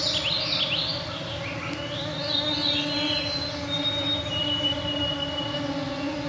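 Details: Clouds of mosquitos on a June 2024 summer evening at 9pm in the Canadian Shield, northwestern Ontario, Canada, recorded on a Sound Devices MixPre-3 II with Pluggy EM272Z1 mics: a steady droning hum of stacked tones beneath fluting, spiralling birdsong.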